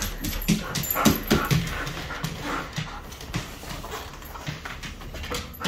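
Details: Excited husky as its harness is put on; rapid run of short whining yips and whimpers, about four a second, over a noisy background with music.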